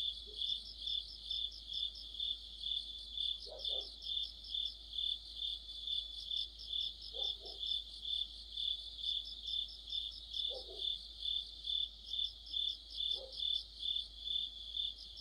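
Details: Insect orchestra of crickets in the heart of autumn near a streetlight: continuous high trilling pulsed about twice per second, with a few faint lower chirps from another caller every three seconds or so.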